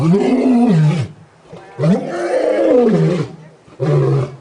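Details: A male lion at San Diego Zoo, pacing near the front of his enclosure at sunset, gives deep, moaning roars that swell and then fall away, in three long bursts.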